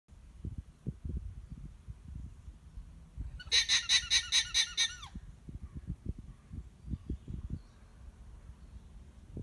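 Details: A disgruntled, annoyed-looking alpaca on a farm in Monmouthshire, South Wales, gives a brief burst of shrill, rapidly repeated honking pulses over low rumbling thumps.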